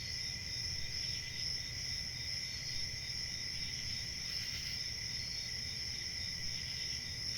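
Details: Massed crickets produce a constant high-pitched shimmering trill, layered with a lower ringing tone, steady in loudness throughout, with a faint low hum underneath and a slight swell near the middle.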